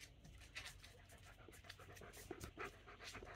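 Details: German Shepherd kept as a pet, impatiently demanding its meal before dinner: breathy, uneven panting that ends in a couple of short, pitched whines, followed by a person's voice.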